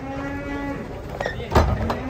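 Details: Giant cow rampaging as it is unloaded from a truck in Indonesia: a long, steady, low moo held for nearly a second, followed by softer lowing, with a sharp clatter and thump from the unloading midway through.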